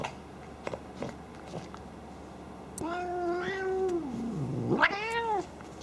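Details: Playful female house cat, not angry, known for pig-like snorts during play indoors; soft huffs, then a long drawn-out wavering meow that falls and rises again, followed by a second rising cry near the end.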